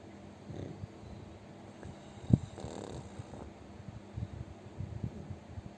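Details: Fat pet pug sleeping and snoring loudly indoors: soft low rumbling breaths with a faint rhythmic snore pattern, one sharp click or knock in the middle, and a steady background hum.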